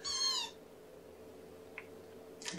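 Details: Kitten Amber, one of five Infinity Kittens born April 14th to mother Gamora, meows once at breakfast on 2018-05-07 during syringe feeding, still hungry; a short high harmonic cry, then quiet room hum and a faint rustle.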